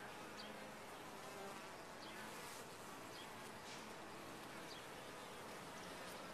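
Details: Honey bees at a top-bar hive, a dense steady hum filling the air with faint drifting tones near the low end, while brief high chirps of other birds flick in the background.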